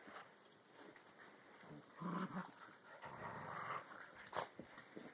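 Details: Cinnamon, an Alaskan Husky puppy tethered to a chair, wrestles indoors with Flash, a year-old Rottweiler/Puggle, on 31 January 2011. Low, rough growls rumble near two seconds and again from three to four seconds, amid snuffling and scuffling.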